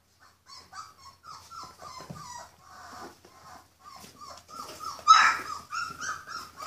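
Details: Purebred Rhodesian Ridgeback puppies, born 14 February 2016, being raised for sale. High, thin whining whimpers come in short overlapping bursts, some rising and falling, with a louder squeal near the end.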